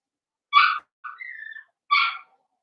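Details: Indoor pen of five young Blenheim Cavalier King Charles Spaniel puppies: two high yelps bracket a thin, wavering whine.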